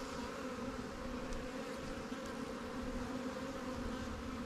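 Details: Honey bees at newly captured swarm hives, Langstroth and Warre, in a beekeeper's apiary while resources from stronger hives are added; a steady, even droning hum with layered low tones and no pauses throughout.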